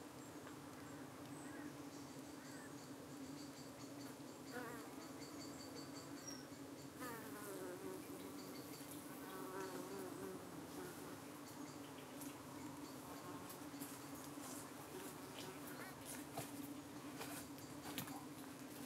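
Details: Honey bees at a UK hive in the evening, defending themselves as parasitic flies dart in to settle on their abdomens; steady low droning hum with passing higher flight buzzes sweeping up and down, a few faint clicks.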